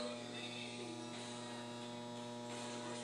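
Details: A steady electrical hum fills the whole stretch, with faint indistinct background noise and no animal sound.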